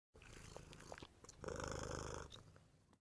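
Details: Cat purring, low and close up: a rough, rumbling purr with a fast pulsing throb lasting under three seconds, swelling in the middle, with a few soft clicks and rustles.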